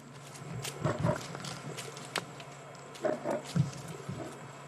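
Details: At sunset on August 29 in Kenya's Mara Triangle, a lioness, one of the pride's mothers, growls in deep, rough bursts while chasing a male lion during a fight.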